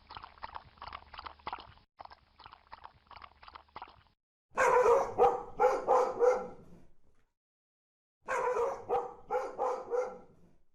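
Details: Angry dog giving loud, rough barks in fast bursts of four or five, after a quieter stretch of muffled, crackly barking at a distance.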